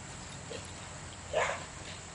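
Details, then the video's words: A Belgian Malinois gives a single sharp bark at a couple of donkeys on the other side of a fence, over a quiet, faintly humming background. "Malinois Barks at Donkeys"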